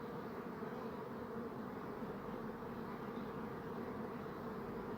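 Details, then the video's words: Steady drone of buzzing bees going about their business, a continuous low humming hum with even tonal bands and no breaks, holding the same level throughout. "Bee Buzzing Sound"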